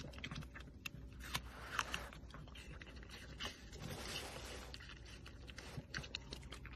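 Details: Smacking sounds from a red panda, a run of moist clicks and short crunchy snaps, uneven in timing, loudest in the first two seconds, with a low rumbling background.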